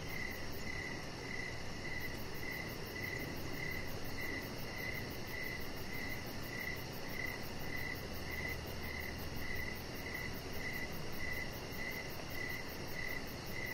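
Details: On a deck in the evening, crickets keep up regular shrill chirps, about two per second, while a chihuahua puppy named Rocket lies nearby; a low steady hum runs underneath and a faint high buzz pulses throughout.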